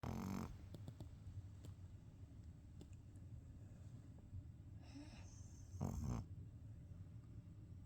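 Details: Sleeping pet dog Jjingjjingi snoring softly indoors: low, rumbling breathing held under a steady low hum, with a louder broadband burst at the start and another near six seconds.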